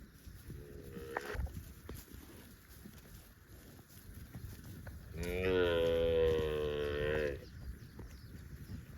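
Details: Cows roaming in the fields: a short, low moo near the start, then after a quiet gap a loud, sustained moo of about two seconds with rich bright harmonics, steady in pitch before ending sharply.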